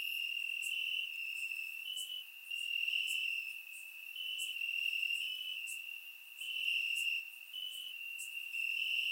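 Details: Summer night chorus of crickets in Bulgarian grassland, captured in surround sound: continuous shrill, even trilling on a single high note, rising and falling in volume in slow waves, sharp ticks overhead.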